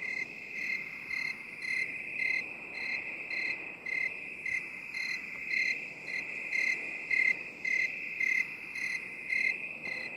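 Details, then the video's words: Rhythmic cricket chirping in a binaural 8D relaxation track, with quick shrill pulses repeating steadily about twice a second, softer in places, against a continuous high background trill. "3 HOURS OF 8D CRICKET SOUND"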